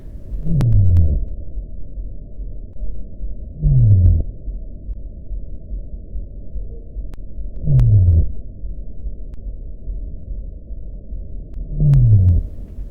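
Sei whale gives low, falling moans underwater, each a short downward sweep repeated about every four seconds.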